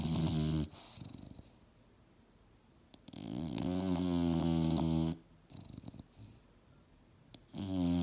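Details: English Bulldog Mildred sleeping on a couch while dreaming, giving deep buzzing snores: one at the start, a long rattling snore in the middle, another starting at the end, with soft breaths in between.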